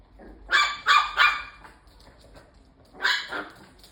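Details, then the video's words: Bichon Frise dog confronting a robot vacuum cleaner at home, letting out three rapid, bright, harsh barks, a pause, then two more, over a faint steady appliance hum. "로봇청소기한테 덤비는 비숑"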